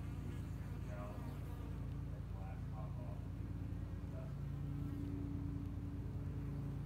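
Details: Spring honey bee hive, two years old, in Hickory Creek, Texas, with workers building up the colony; a dense low hum whose pitch bands waver slightly, with some faint higher rustling sounds.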